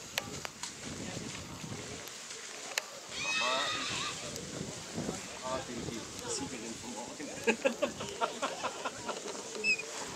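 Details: Black Forest Draught Horse mare Finja v Schmalzenhof, sired by Vento, at the Rossfest Zukunftspreis in St. Märgen on 10.09.2022. A short, loud, harmonic whinny bursts out early on, surrounded by talking, clattering and show-ground bustle.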